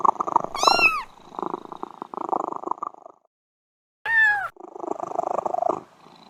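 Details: Cat giving a sharp rising-falling meow, then rough pulsed purring, a second of silence, another short high meow, and more purring.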